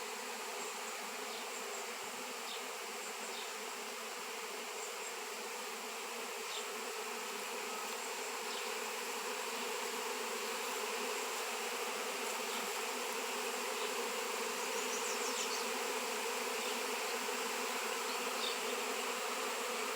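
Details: Swarming honey bees crowd around a raw 7 lb shungite piece after years of absence from the area; constant layered drone of many wingbeats that grows slightly louder in the second half, with occasional faint high ticks.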